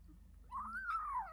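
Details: Kitten calling while eating: a single drawn-out meow, rising then slowly falling, lasting about a second, in a quiet room.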